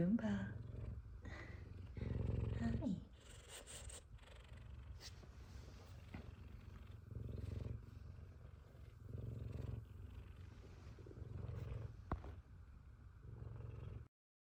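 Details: F2 Savannah cat, excited to see its owner, opens with a short mew and then purrs steadily. The low rumble rises and falls in repeated surges before stopping abruptly.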